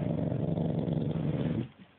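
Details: Domestic dog recorded indoors on an Android phone, giving a steady low rumbling growl with a thick, buzzy texture that holds for about one and a half seconds, then fades out abruptly.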